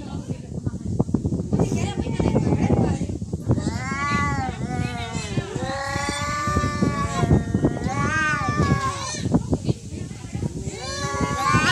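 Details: Real cat fight between cats: after a noisy start, a run of long arching caterwauls swelling and sagging in pitch, several in a row, under steady chatter from people nearby.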